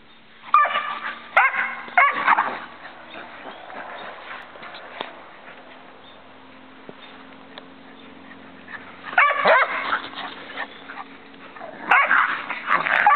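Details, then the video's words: Standard Poodle puppy, fourteen months old, playing with a Boston Terrier; short yipping barks and growly vocal bursts come in clusters near the start, around nine seconds and at the end, with a low steady hum between. "Liz and Joey still love to play"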